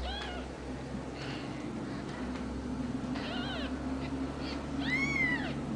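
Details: Ragdoll kittens at a home cattery in central Kansas give a few thin meows over steady low mechanical hum, closing with one louder, clear arched meow.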